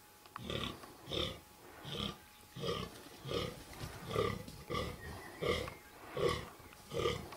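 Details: A fallow deer buck with little palmation and pointy antlers with good guard tines gives deep, belching groans in a steady rhythm, about one every second, during the 2014 rut.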